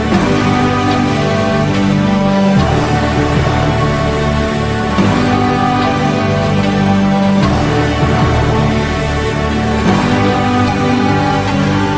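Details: Steady instrumental music with sustained tones and a low bass line, with no animal calls to be heard.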